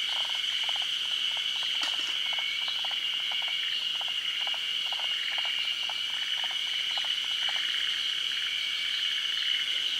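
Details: Forest green tree frogs, a species endemic to Japan, at a midday spawning on branches above still water in the rainy season. Rapid trains of soft clicking pulses repeat through the clip over a steady, high insect drone.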